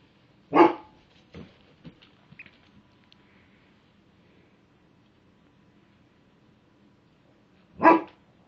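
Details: Female husky or giant Malamute, about a year old, barking at a mirror she is scared of: two single loud, sharp barks about seven seconds apart, with faint muffled huffs in between and a quiet room otherwise.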